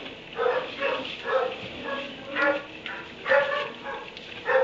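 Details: Dog kept in a kennel in a barn at 3 a.m., recorded March 30, 2017, barking in short harmonic bursts roughly every half second to a second, with a steady background hiss.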